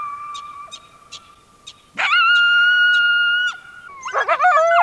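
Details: Coyotes recorded in the wild and city: soft yips early, then a loud sustained steady howl with a sharp onset lasting about a second and a half, followed by a burst of wavering yips and warbling cries.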